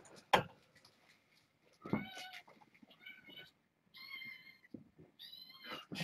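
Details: Young domestic kittens from a litter born August 29, kept indoors inside a fenced area in a room, give high, thin meows in short bursts with bright overtones, spaced about a second apart, while a person quietly moves around to close curtains.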